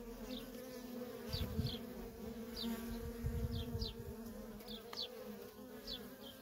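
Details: Feral colony of worker honey bees in steady traffic, humming continuously in two layered tones, while small birds add short, high, falling chirps scattered through the background and a low rumble rises midway.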